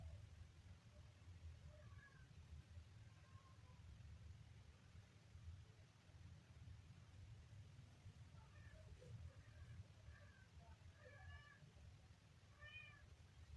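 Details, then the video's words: A kitten on day three gives faint, thin meows: a few soft cries early on, then a quicker series of high, harmonic-rich mews near the end, over a steady low rumble of background noise. "kitten funny sound"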